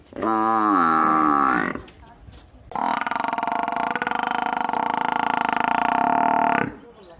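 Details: Village buffalo calling twice: a short rich harmonic bellow of under two seconds, then after a brief pause a longer sustained, steady bellow lasting about four seconds, with no other clear sounds.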